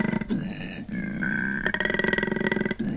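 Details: A male koala grunting in Australia: a deep, rasping bellow, a harsh rhythmic snore-like pulsing on a low drone that runs for three seconds.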